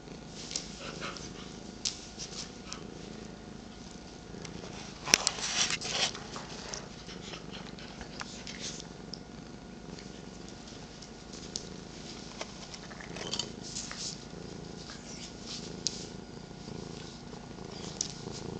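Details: Domestic cats purring in the morning, one 13 years old and one 8 months old, with another cat resting on a lap: a continuous low rumble under rustling, with a sharp click partway through.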